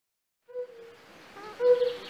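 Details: European fire-bellied toad (Bombina bombina) gives soft, mellow, hooting calls a little over a second apart, from a pool in a castle park in Raduň, Opava district, Czechia, where many toads are currently calling.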